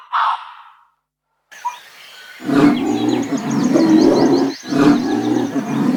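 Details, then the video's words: Lion roaring in a collection of wild animal sounds: a short burst, a pause, then two long, loud, rasping roars with a brief break between them, deep and rough throughout. "Sound of Animals Lion"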